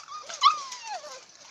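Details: American Bully among a group of adult dogs and pups from ABKC champion pedigree lines: a single clear whine that jumps up sharply, then slides slowly downward over about a second, fading away in a quiet setting.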